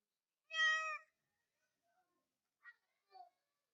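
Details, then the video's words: Real cat letting out one loud, steady, strongly harmonic meow lasting about half a second, followed by silence and two soft short chirp-like sounds. "Really Loud Cat Noises | Real Cats Purring Sound | Real Cat voice | Cats Meowing Sound"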